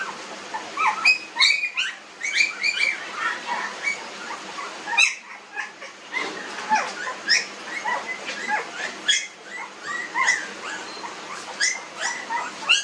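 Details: A litter of nineteen-day-old puppies squeaking and whimpering in a busy, overlapping chorus of brief high yelps and thin rising cries over nearly thirteen seconds.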